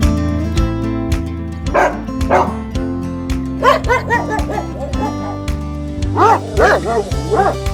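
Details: Real dog barking on a farm; short bursts of two or three barks, loud and harmonic, repeating throughout over steady background music with a pulsing beat.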